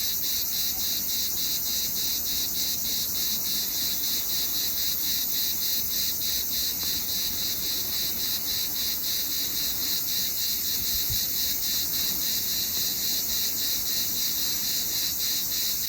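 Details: Summer cicada producing a relentless high hissing buzz, rhythmically pulsed about three to four times a second, with a brief low tap partway through.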